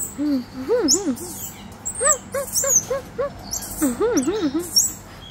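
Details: A one-year-old black-capped squirrel monkey utters quick, looping, up-and-down calls, several strung together in each burst. Thin high chirps sound faintly in the background.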